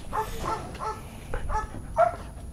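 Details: A trainee Belgian Malinois called Warwolf whines in brief, pitched yelps, five or six spread across the stretch, the last one louder and higher, against a low background hum.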